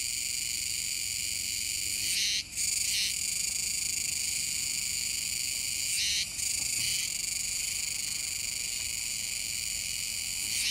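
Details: Many Kuroiwa's cicadas buzzing near a river mouth on Tanegashima, Japan, 7 September 2022; a constant shrill chorus punctuated by brief double bursts around two and six seconds.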